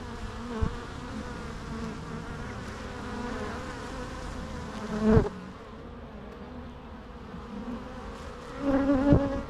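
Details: Continuous bee buzz forming a dense humming bed, with single bees flying past the microphone in short loud swells at about five seconds and again near nine seconds.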